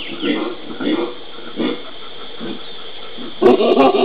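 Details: Howler monkeys in the Pantanal, Brazil, recorded 13 January 2011: soft, low grunting pulses in a slow series, then a sudden louder, harsher roaring burst in the final half second.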